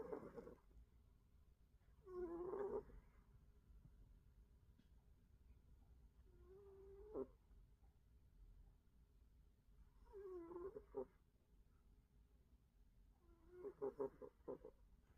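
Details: Snoring cat, slow rasping breaths about every four seconds, each a rough, buzzy snort with a low droning tone, over a steady faint hum.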